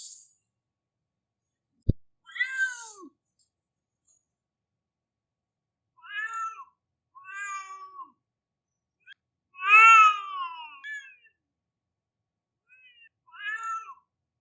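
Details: Cat crying like a baby with a series of plaintive, harmonic meows, one long loud wail near the middle, others shorter and repeated, preceded by a single sharp click.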